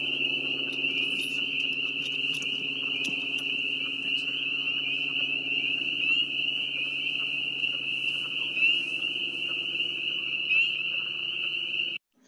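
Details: Spring peepers recorded in the field, very close to the microphone and in very high numbers: a dense, unbroken high-pitched chorus of overlapping peeps forms a steady shrill band, with faint lower croaks beneath, ending abruptly after twelve seconds.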